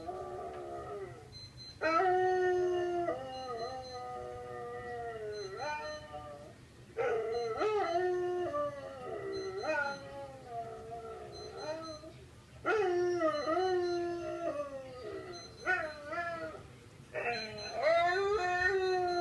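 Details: Vizsla (Canis lupus familiaris), howl.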